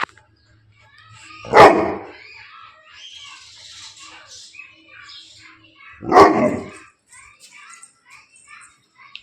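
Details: Male Bully Kutta dog at Bangalapudur giving two loud, deep single barks about four and a half seconds apart, with faint chirping and a man talking in Tamil in between.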